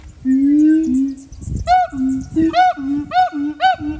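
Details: Siamang at Dubbo Zoo, Australia, calling: long, steady low hooting notes give way to a run of sharp, arched, rising whoops repeated about twice a second. Laughter and faint music can be heard.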